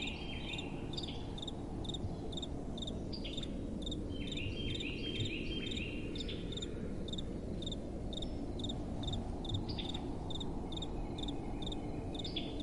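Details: Crickets at night give rhythmic, evenly spaced high chirps with some scattered sliding notes, set against a constant low wind hum.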